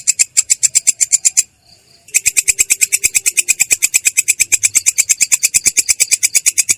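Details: Katydid known locally as belalang kecek rolling its clear, rough song: sharp high rasping pulses about six per second, a pause of under a second, then the same steady pulse train continuing.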